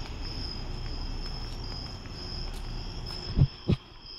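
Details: Nighttime crickets along a walk to the store give a continuous high-pitched pulsed trill. Low background rumble sits underneath, and two dull thumps sound near the end.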